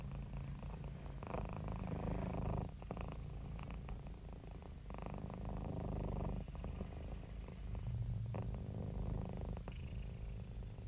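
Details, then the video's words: Relaxed, happy house cat purring at close range, a low vibrating rumble in alternating breath cycles of about two seconds, with soft breathy texture layered over the drone. "Happy Cat Purring"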